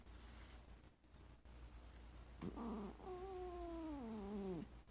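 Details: Sonora, a pet cat resting on her owner's lap, objects to being petted after the owner coughed while ill. A short low grumble swells into a drawn-out, wavering growl-moan that slides downward over nearly two seconds. The room is otherwise quiet.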